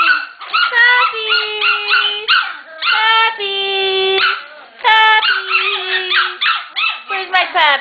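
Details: Shetland Sheepdog puppies from a litter getting ready for new homes, crying out in excitement: long, steady, tonal howling whines, several held for a second or more, overlapping from more than one pup, with short yelps between.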